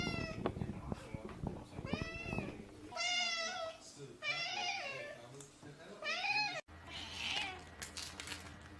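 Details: A house cat giving a series of long, wavering meows, several in quick succession, over background talking and handling noise, followed by a brief break and a steady hum.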